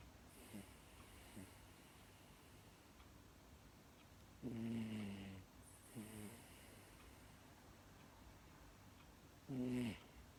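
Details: Pet female Miniature Dachshund snoring as she falls asleep, recorded uncut: three low, rasping, harmonic snore bursts about a second long, spaced irregularly, with soft breathing noise between.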